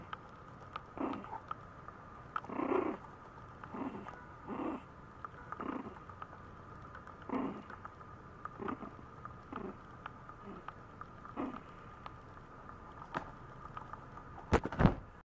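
A Maltese puppy makes brief, breathy whines and low grunts in an uneven series, roughly one each second. These attention-seeking calls stay soft, with a faint steady hum in the background.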